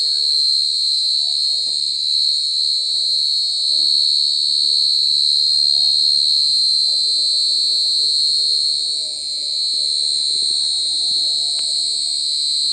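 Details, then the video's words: Short-tailed cricket (jangkrik gangsir) calling very loudly: an unbroken, steady, piercing high trill held at one pitch with a fainter overtone above, lasting the whole stretch; faint low murmurs underneath. "Suara Jangkrik Gangsir Lagi Ngerik"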